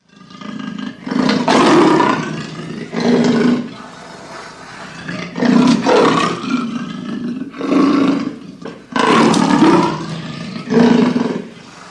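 A leopard gives a deep, rasping roar of repeated harsh strokes, like a saw cutting wood.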